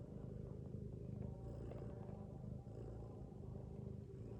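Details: Sleeping mother cat lying with her kittens gives a deep, rough snore, a steady low drone that pulses gently with each breath and has no sharp calls, soft background hum underneath.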